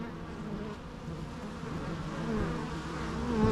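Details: Bees humming together in a thick, continuous low drone that swells slowly toward the end, with no other sounds above the steady insect buzz.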